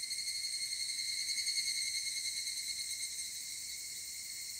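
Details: Evening cicadas at 19:06 on Monday, 23 July 2018, give a steady, shrill, ringing chorus that pulses gently in loudness.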